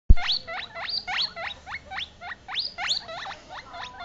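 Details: Two scared baby US Teddy silver agouti guinea pigs, set on a couch away from their mother, screaming for her: shrill squeals that sweep sharply upward, repeated rapidly about three times a second, opened by a loud thump.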